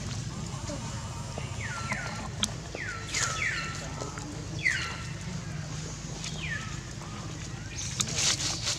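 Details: Frightened baby monkey screaming to alert its mother for help as an angry female monkey attacks it: a run of shrill, sharply falling squeals, about five over eight seconds, over a steady low rumble of background noise.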